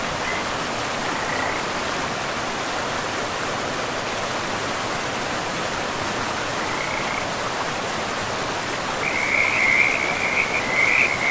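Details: Frogs at a forest river, a couple of faint trills early on, then a loud, dense chorus of rattling croaks builds over the last few seconds against the steady rush of the stream.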